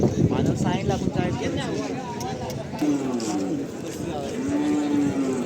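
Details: Cattle at the Saturday bull market in Chakan, Khed, Pune district, 3 August 2025, where calves for bullock-cart racing are sold; drawn-out lowing moos with wavering harmonics over men's chatter and market crowd noise.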